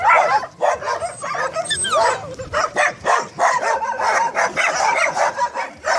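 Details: Staffordshire Terriers give a dense run of loud, sharp barks and higher yips, overlapping and repeated several times a second without pause.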